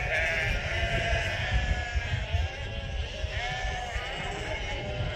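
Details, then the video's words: Hundreds of local Merino sheep on a farm bleating in greeting, a dense overlapping chorus of wavering, nasal baa calls over a steady low rumble of flock noise. "Hundreds Of Local Merino Sheep Saying Hello"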